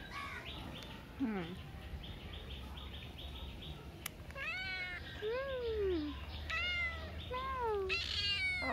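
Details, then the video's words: Street cat giving several drawn-out, downward-bending meows in the second half, preceded by a low rough call, over steady low background rumble and some voice-like sounds. "Adorable street cat meowing"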